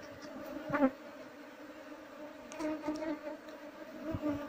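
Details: Asian honey bees (Apis cerana) swarming at a wild nest being harvested for honey, described as aggressive toward people disturbing it; a continuous low hum with an even overtone, broken by sharp knocks around one second and near the end.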